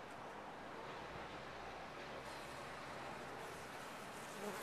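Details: Top-bar hive of honey bees with an unbroken, full-bodied buzzing hum across almost five seconds, level throughout apart from a small rise at the very end.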